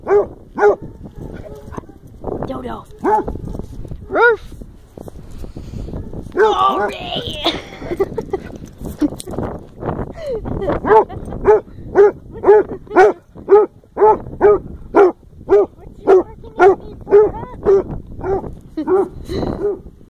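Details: Excited basset hound greeting its owner: rhythmic, musical baying barks about two per second, some drawn out and wavering, mixed with a person's cheerful talking and a brief higher yelp partway through.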